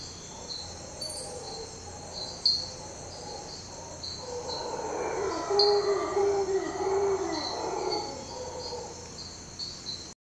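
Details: Before dawn at Tortuguero National Park in Costa Rica, howler monkeys give eerie howls: a low, hoarse, swelling roar rising midway and lasting several seconds, over constant high insect buzzing and a few sharp bird chirps.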